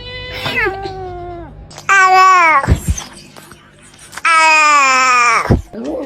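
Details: Cat meowing: a short falling mew, then two loud, long, drawn-out meows that each slide downward at the end, with faint background sounds between them.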